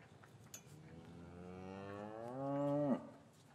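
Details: Cow lowing in an English cattle yard on a winter afternoon after calves were separated from their mothers: a long moo rising in pitch and swelling louder before ending abruptly, with a faint knock and soft yard background.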